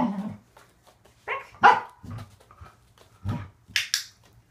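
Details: Waffle, a male Corgi, barks during an indoor training session of leg extensions and conditioning exercises: a few short, sharp barks at irregular intervals, with a higher yip near the end and quiet clicker-training sounds between them.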